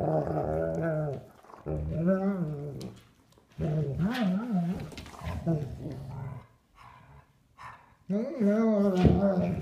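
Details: German Shepherd play session between Duke, three years old, and nine-week-old puppy Havok, both sable: repeated rolling, warbling growls in bursts separated by short pauses, with faint speech-like sounds and a loud final grumble.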